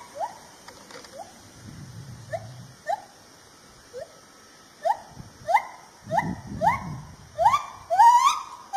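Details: Lar gibbon, also called white-handed gibbon, from Peninsular Malaysia. A series of rising, whooping notes that speed up and swell in loudness toward the end, with soft low rumbling between the notes.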